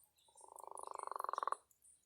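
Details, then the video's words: Leopard frog call, a strange sound likened to fingers rubbed on an inflated balloon: a single pulsed, creaking trill lasting just over a second. The pulses speed up and grow louder before stopping abruptly, with faint high hiss around it. "And the leopard frog sounds like this."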